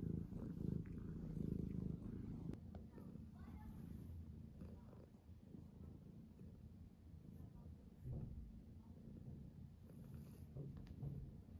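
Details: In the morning, a tuxedo cat gives a strong low purr for the first few seconds, then a fainter rumbling purr continues under light rustling and a few soft clicks.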